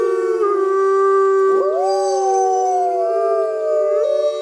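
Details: Mackenzie Valley wolf, a large grey wolf subspecies from northwestern North America, howling: a long steady tone held throughout, joined midway by a second voice that slides upward and wavers, overlapping howls.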